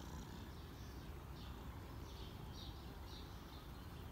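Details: Cinnamon the cat purring while being petted, a continuous low, throbbing rumble, with faint bird chirps repeating higher up in the background.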